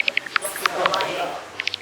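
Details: Bats flying close in the bat cave at Chester Zoo give rapid, sharp clicking pulses used for echolocation to navigate in the dark and find food.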